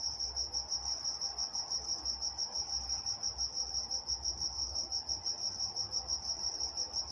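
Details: Walnut, California crickets at night produce a sharp, high, evenly pulsing chirp, roughly three beats per second, over a low soft rumble and a faint higher overtone band.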